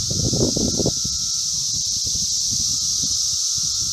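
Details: Brood V 17-year Magicicada periodical cicadas at the intersection of Vine and Walnut in Logan, Ohio: a dense, unbroken, high hissing drone that holds steady throughout, over low rumbling background noise.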